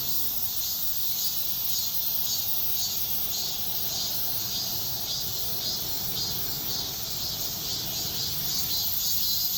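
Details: Shrill cicada song at dawn, a high rasping chorus rising and falling in rhythmic pulses near two per second, over a low murmur of ambient noise.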